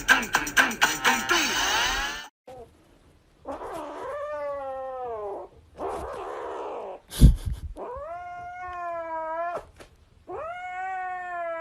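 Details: Kitten meowing: after a burst of music, long drawn-out meows rise and then fall, several in a row with short pauses between them, and a thump in the middle.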